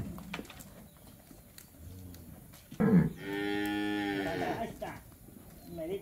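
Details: A calf in Campeche, Mexico, recorded 20 August 2022, lets out one sustained harmonic bawl of about two seconds after a short grunt, with scattered handling noises and a brief human murmur.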